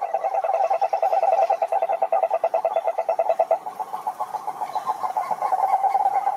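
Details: A loud, rhythmic series of pulsed toad croaks, about two to three per second, briefly falters in the middle, then resumes as a steady rattling trill with other callers overlapping.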